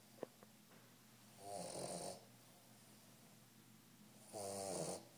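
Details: A 3-month-old Old English Bulldog puppy snores while asleep in slow, rasping breaths, each one a rough, buzzy rattle with hissing air.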